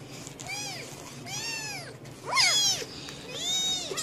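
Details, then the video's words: A domestic cat giving four short arched meows about once a second, with a sharper, higher squeal in the middle, over a steady low background rumble. "Funny Cats Meowing ★ Meowing Cats Compilation"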